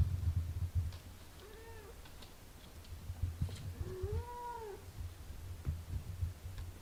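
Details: Mother cat caring for her six-day-old kittens while nursing them: a steady, low, pulsing purr runs throughout, with two short rising-then-falling mews heard near the middle.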